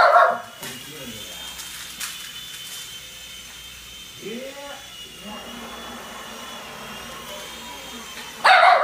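A small dog, a Shih Tzu, lets out short, sharp barks at the start and end, with a brief rising whine between. A steady engine-like hum runs underneath throughout.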